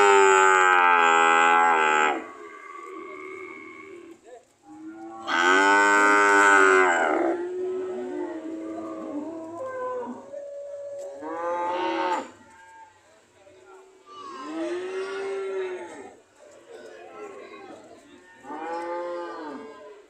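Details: Several cows at a market, ready to leave, mooing repeatedly: loud long moos early on, then a series of shorter, rising-and-falling moos from different animals, some distant.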